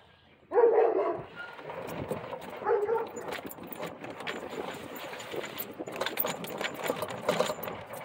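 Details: Central Asian Shepherd Dogs fence fighting: a sudden loud, harsh bark bursts out early, followed by rougher, lower barks and a steady scuffling, noisy din through the rest of the recording.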